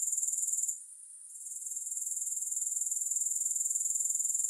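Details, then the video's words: Grasshoppers in a long relaxation recording with no music: a thin, very high, steady pulsing trill, beats packed closely and evenly, dropping away briefly just before the one-second mark and then swelling back to full strength. "Grass Hopper Sounds"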